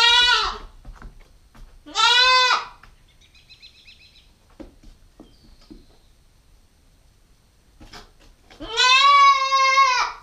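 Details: GoPro stakeout of a Nubian goat kid, a nine-week-old female: three harmonic bleats, two short ones close together at the start and a longer steady one near the end, with faint chirps and clicks in the quiet gap.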